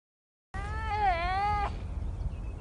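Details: Newly born seal pup at Donna Nook calling for its mother: one drawn-out, wavering, nasal wail of about a second, dipping slightly in the middle and then rising, with a low steady rumble of wind behind it.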